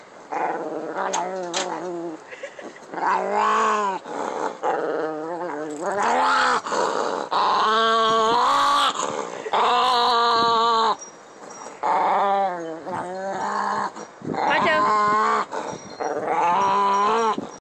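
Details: A dog called Pancho produces weird growling noises: a long series of moaning, warbling harmonic growls, each lasting one to two seconds, with rising and falling wobbles in pitch and short pauses between bursts.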